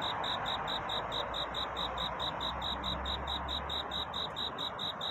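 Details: On a courtship night toward dawn, a cricket sings to find love: high, even chirps, about two per second, over strong broadband hiss and a low hum.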